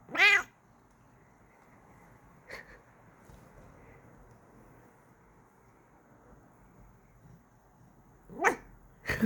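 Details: Kokoa, a pet cat, making cute noises when happy: short harmonic meow-like calls at the start and near the end, separated by quiet room tone, with a few soft clicks between.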